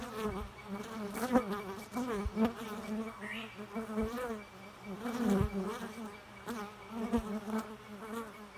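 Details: Continuous bee buzzing: a steady low drone with strong overtones, wobbling up and down in pitch and loudness throughout, with scattered sharp taps and knocks.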